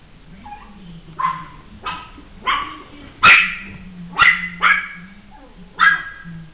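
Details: A Maltese puppy at a pet shop gives a series of short, sharp, high-pitched yaps at irregular intervals.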